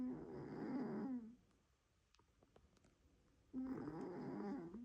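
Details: Domestic cat snoring loudly indoors: two long rasping, rumbling breaths separated by a quiet pause of about two seconds with faint clicks.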